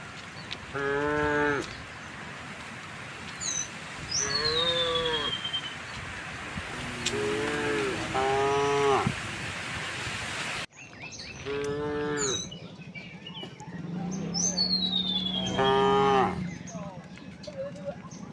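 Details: Dozens of tame cows moving through a quiet village to green rice fields, giving several moos: long harmonic lows, some wavering, spread over the stretch, with bird whistles overhead and footsteps on the path.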